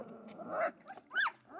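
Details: Central Asian Shepherd puppies at their first meal in a barn: a soft whine, then a sharp, high arched squeal, then a quieter whimper trailing off.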